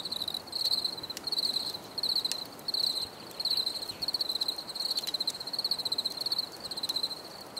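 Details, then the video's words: Cricket song in short, rapid pulse bursts at a steady high pitch, grouped about once a second with small gaps, over a soft background hiss and a few sharp ticks. "Bruit de Grillons"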